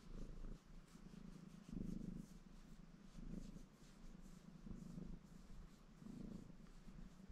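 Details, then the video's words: Low rhythmic purring from Baron, a ginger male Maine Coon, washing himself contentedly. The rumble pulses in breath-paced swells about every second and a half, with faint rustling between. "Рыжий кот мурчит и умывается"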